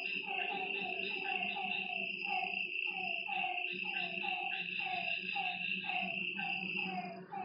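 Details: Frogs calling after dark at a lakeside, overlapping downward-bending croaks repeating in quick succession, a steady shrill insect tone and low rumble behind them.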